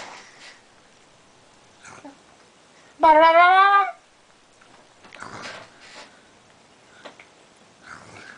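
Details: Pekingese dog 'talking' indoors while being coaxed: one loud, drawn-out whining yowl lasting about a second, rising slightly then sagging, rich and tonal, amid a quiet room with faint soft human voices.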